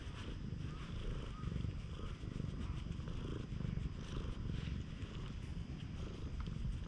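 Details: Stray cat resembling a tanuki, fawning affectionately at a campsite after rain, filmed on a GoPro; a steady low rumbling purr runs throughout, with faint rustling and outdoor background noise.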